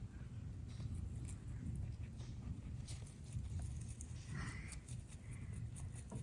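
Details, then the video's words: Pair of bunnies eating a load of healthy vegetables, grasses and flowers, with steady crisp crunching and nibbling bursts against low-pitched background rumble throughout. "Sound of bunny munching greens"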